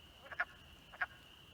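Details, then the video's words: A chorus of male wood frogs calls to attract mates at a vernal pool (a cement pond) on a rainy, 50°F April 2020 "Big Night" of amphibian migration in South Sutton, New Hampshire, giving short, clucking, duck-like croaks. "a chorus of male wood frogs calling for the ladies to come to the vernal pool"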